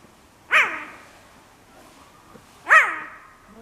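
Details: Cheetah at Tama Zoo in Japan, calling repeatedly as if wanting to go home; two loud, short yelping calls with a falling, harmonic-rich chirp, likened to a cross between dog and cat, about two seconds apart.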